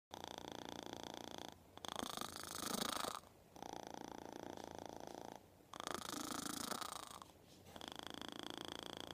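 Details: Kitten purring very loudly right in its owner's ear: a rough, buzzing purr in long stretches of about one and a half seconds, each cut off by a short quiet pause, five stretches in all.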